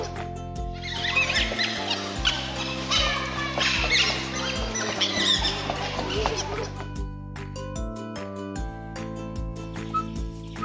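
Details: Dhole producing a dense, noisy chorus of chattering squeaks and whistles for several seconds, fading out toward the end, with steady background music underneath.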